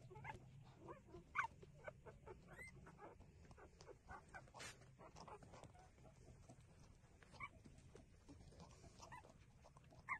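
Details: Nursing puppies give short, sharp squeaks scattered among steady low rustling and suckling noises, with a few brief louder yelps standing out near the start and the end.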